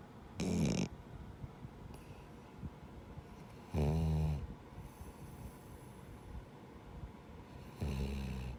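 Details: Jiji, a male rescue dog, Labrador and Schnauzer mix, snores in his sleep like a person: three loud, rasping, harmonic snores, each under a second long, spaced about every three and a half seconds, with a quiet room between them.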